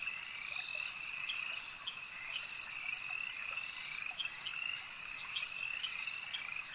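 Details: Many frogs croak together at a lake, a continuous high-pitched trilling drone with short accented pulses repeating irregularly throughout.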